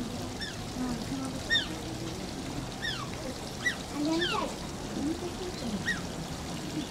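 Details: Asian small-clawed otter at Oji Zoo giving high, thin whines. Each is a sharp downward-sliding squeak, and they come every second or so in an uneven series. Splashing water and a low background hum are heard throughout.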